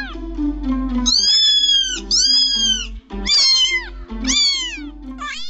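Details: Cat giving a run of repeated wavering meows that arch up then down in pitch, over steady background music with a low hum throughout.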